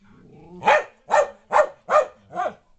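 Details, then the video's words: Keeshond named Loki at play in a house, chasing Spike, a small mixed-breed dog, with five loud, evenly spaced barks about every half second, the last one softer. "Keeshond chasing a Mutt"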